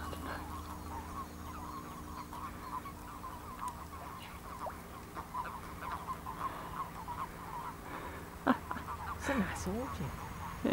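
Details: Frogs and toads crowded into a village pond in February 2012, some 500 at the surface, make a dense continuous chorus of soft croaks, with a few louder sliding calls near the end and a person nearby.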